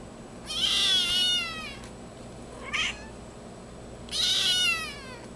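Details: Small black-and-white female kitten born on May 21 cries in sharp, high wails, one long cry, a brief short squeak, then another long wail, with low hum underneath.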